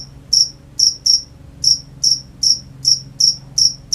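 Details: Crickets at night chirping in short high-pitched bursts, about nine pulses in four seconds with uneven gaps, each chirp a bright trill against a quiet background.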